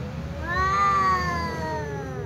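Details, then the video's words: Ginger tom cat meowing because it is attracted to a white female cat: one long, clear, rising-then-falling meow with rich harmonics, held for about a second over low background rumble. "Ginger cat meows tom cat because it likes white female cat"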